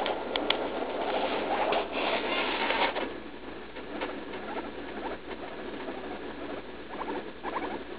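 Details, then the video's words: Leslie, a roughly three-year-old female pet guinea pig, in pain while pooping right after eating leaf lettuce, on June 16; a suspected urinary infection. Noisy indoor background, then short harmonic squeaks come in quick clusters near the end. "Guinea pig in pain while pooping"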